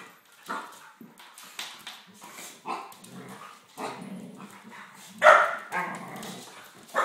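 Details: Play fight among a Springer Spaniel family of three, dad Gunnar, mum Kala and puppy Diesel. Sharp barks repeat every second or so over continuous low growling, peaking in a loud bark late in the sequence.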